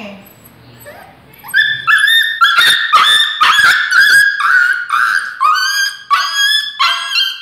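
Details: Scarlet, a 2-year-old female Aspin dog, crying in shock and pain while receiving a vaccine shot in August 2017, grabbing the handler's arm; loud harmonic yelps and wails repeated roughly twice a second after a quiet start with brief speech.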